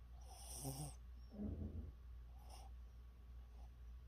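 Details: A sleeping pet dog gives a loud hissing snore and then a low, rumbling, grunting snort. A softer, fainter breath follows, all over a steady low hum.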